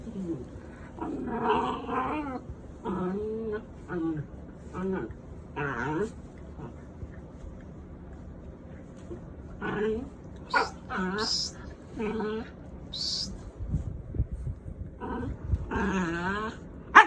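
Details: Dog during its bedtime routine, giving repeated high, wavering whimpers and whines that rise and fall in pitch over several seconds, interleaved with a person's voice talking nearby indoors.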